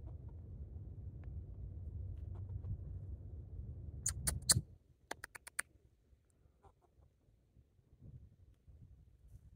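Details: Rocky the squirrel barking while jumping from tree to tree: two brief bursts of sharp, clicking chucks in quick succession around mid-clip, over steady low rumbling background noise, then quiet with a few faint ticks.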